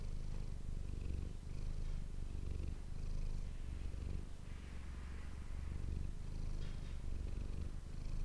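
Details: Pet cat Manis purring into an ASMR microphone, a low buzzing rumble pulsing in regular breath cycles of about a second, with faint soft rustling touches in the background.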